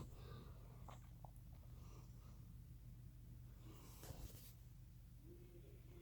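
A sleeping Bloodhound snores with low, rumbling breaths and a sharp snort near the end.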